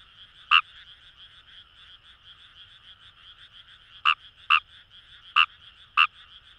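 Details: Fejervarya kawamurai calling in paddy fields along the Kamo River, Itoshima, Fukuoka, Japan: five sharp clicking croaks, one alone then four closer together, over a steady high chorus of distant frogs.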